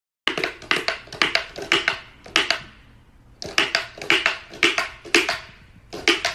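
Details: Rapid bursts of sharp clicking and clattering in a small room, pausing midway, with no animal voice heard.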